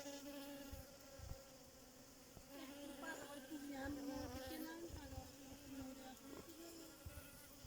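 A bee's steady, droning buzz, rising and dipping slightly in pitch as it flies close.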